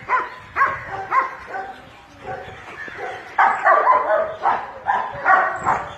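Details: Dog being bathed gives repeated sharp barks, a cluster of four, a brief lull, then a louder run of five to six barks about half a second apart.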